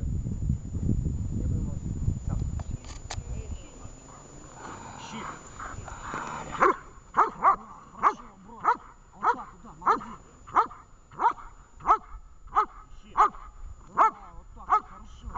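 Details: Vesta, a dog in a training session in Horlivka on 20 July 2019, where whining counts as an error: a person speaks over low rumble, faint whining follows, then about thirteen sharp, evenly spaced barks come roughly every two-thirds of a second.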